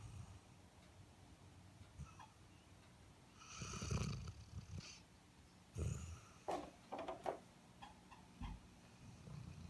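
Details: Deep in sleep, an Airedale Terrier gives several ragged, rumbling snores with snorting, breathy bursts spaced irregularly, plus small clicking mouth and nose noises between breaths.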